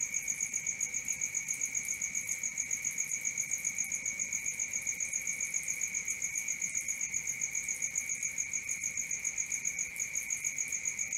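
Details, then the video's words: Nocturnal crickets sing a monotonous, high trilling chirp, steadily pulsed at about four per second, its pitch never wavering and a bright upper ring accompanying it throughout. "Cricket 1 hour for Sleeping & Relaxation, Black Screen, ASMR, Dark Screen Nature Sounds"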